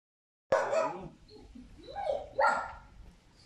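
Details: Trained Cane Corso with its owner on their second day together, right after finishing basic obedience training: two loud, sharp barks about two seconds apart, with a softer, wavering vocal sound between them and a quiet background.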